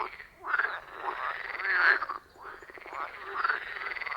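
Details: Frogs calling from a quiet forest pond: long, buzzing, rattled croaks swelling and fading in two drawn-out waves, a continuous pulsed drone from several frogs in between.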